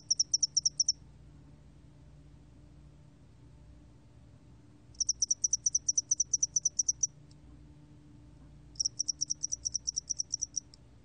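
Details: Repeated bouts of a spotted-wing hairy cricket's song, recorded by Korea's National Institute of Biological Resources in 2020: three trains of fast, bright ticking pulses, each a second or two long, separated by several seconds of near silence.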